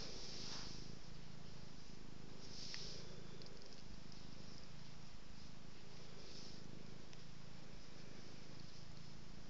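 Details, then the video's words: Cat purring as it is petted and rolls about, a soft low continuous rumble rising and falling with each breath roughly every second, with occasional brushing and rustling sounds over it. "Petting, rolling, petting & purring"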